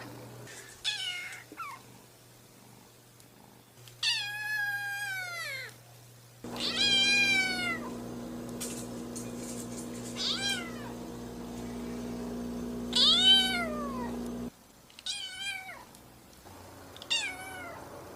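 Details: Kitten meows, high and wavering, each a short harmonic call falling in pitch, repeated roughly every few seconds across the recording, some louder and strained; a low electrical hum runs beneath parts of it.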